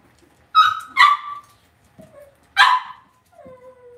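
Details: Cavalier King Charles Spaniel puppies raised indoors in a home pen. Three loud, high, abrupt yips come in quick succession, with a soft short squeak between them and a thin falling whine at the end.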